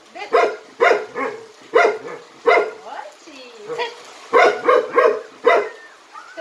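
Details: Barking from Jinmyeong, a Jindo dog in a performing Jindo troupe: a rapid run of bright, forceful barks, roughly a dozen in six seconds, with a brief softer whine in the middle.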